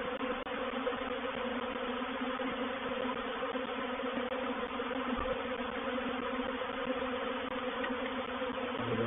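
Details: Reproductive honey bee swarm moving into a bait hive, Painted Peacock Manor, 04/07/21: an unbroken, busy buzzing of countless bees at an even loudness, with a faint thump partway through.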